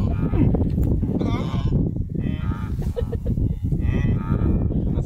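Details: Blue wildebeest calling: three nasal, harmonic honking calls, each lasting under a second, spaced about every one and a half seconds over a constant loud low rumble.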